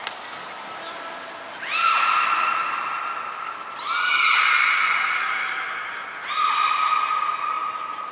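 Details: Training session with belugas Nana, Mirai and Niko at Port of Nagoya Public Aquarium, 11 January 2021. Three drawn-out, richly harmonic calls, each opening with a quick upward bend and holding level for about two seconds. A thin high whistle is heard at the start.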